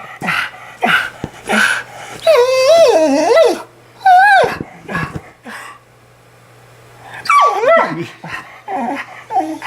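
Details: Australian Shepherd, female, in a crying meltdown after her owner jokingly threatens to take her tongue following a yawn; wavering high whines and yips in bursts, with the owner repeatedly saying "give me that tongue" between them.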